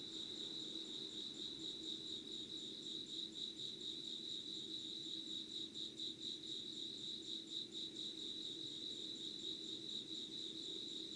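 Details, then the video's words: Several insects sing together at dawn, 05:00, on 25 August 2019 in Yugawara, Kanagawa Prefecture, Japan; a continuous shrill trill pulses rapidly in a high band, with softer overtones higher still and a low constant hum beneath. "Sounds of insects with candle light.☆ろうそくの灯りと虫の声"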